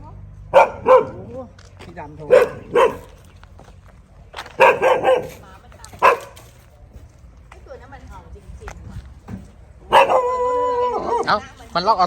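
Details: Dog at a friend's house in Thailand giving scattered sharp barks in pairs and short bursts, mixed with people talking, ending in a longer tonal whining bark.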